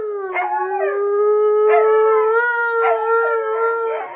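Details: An Alaskan Malamute gives a long, steady, mid-pitched howl with wavering rises, joined by a Husky howling along.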